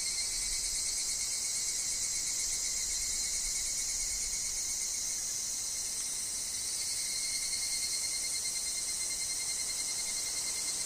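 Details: Higurashi, the evening cicada, in a woodland. A dense, steady high-pitched insect chorus shimmers without a break, swelling slightly in the second half, over a thin steady tone lower down and faint low rumble.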